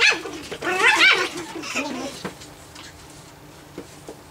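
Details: Playful Japanese Chin puppies at nine weeks give a loud, rising-and-falling squealing yap followed by a shorter bark, then the sound trails off into quiet with a couple of faint taps.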